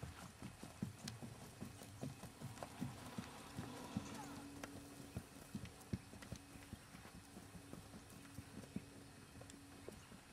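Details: Keg-shod hooves of Jerry, a natural-moving, head-shaking Tennessee Walking Horse aged six, clop in a quick uneven run of sharp low knocks, over a steady low mechanical hum and occasional voices.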